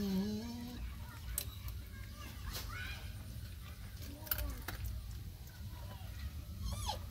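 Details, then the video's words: Puppies nursing from their mother give high, thin whimpers. A steady low tone opens the recording, followed by short rising and falling squeaks scattered through it, with soft handling noises and a low room hum beneath. "Amazing puppies breastfeeding"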